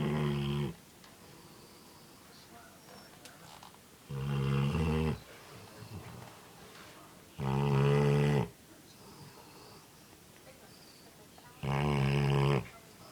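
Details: Sleeping Labrador snoring indoors: four loud, low, harmonic rasping snores about a second long, spaced roughly every four seconds, with quiet breathing between.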